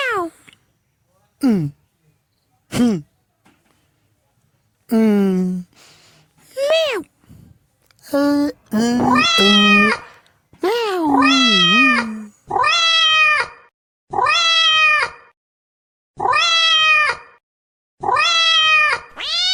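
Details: Cat meowing in a series of short, varied calls, some falling and some rising, growing into longer harmonic meows repeated about every one and a half seconds, with speech-like sounds early on.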